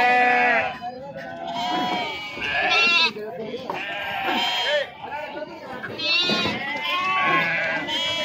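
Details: Several sheep bleat while being unloaded at the Pebbair livestock market. Nasal, trembling cries rise and fall in overlapping waves, some high and strained, mixed with steady human chatter and market bustle.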